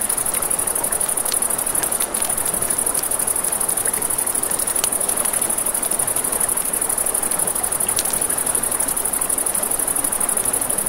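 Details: Nighttime riverside crickets keep up an unbroken, very high pulsed chirping, while river water hisses underneath and scattered campfire crackles snap throughout.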